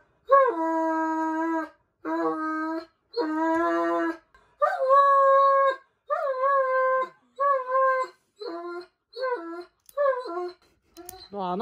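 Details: Dobermann named Roman crying dramatically during his once-a-year nail clipping indoors: a series of about nine drawn-out, wavering howling whines, each one to two seconds long, separated by short pauses, loud and tonal.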